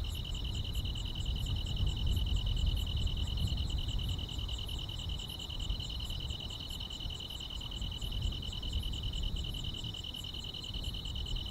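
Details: Grass insects fill a summer night with an unbroken shrill trill, topped by fast, evenly pulsed chirps. A strong low rumble swells in the background, loudest early on.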